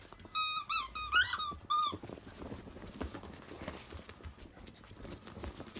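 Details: Akita pups at 52 days old, from the dog Jun, the biggest above 7 kg: a short run of four piercing, pulsing squeaks in under two seconds, followed by scuffling and handling noise.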